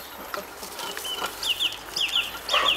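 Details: Weimaraner puppies, four and a half weeks old, at dinner: thin high squeaky whines in quick pairs during the second half, over clicking and patter of feeding, with Chinese speech nearby.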